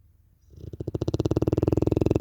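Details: Cane Corso named Larissa snoring in her peculiar style, a low rattling snore that swells from soft to loud and keeps going as a fast, regular train of guttural pulses.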